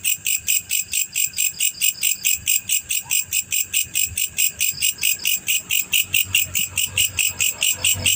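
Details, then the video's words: Male black cricket producing a regular series of high, ringing chirp pulses, about four each second, with slight low-pitched rumble in the background. "SUARA JANGKRIK PEJANTAN"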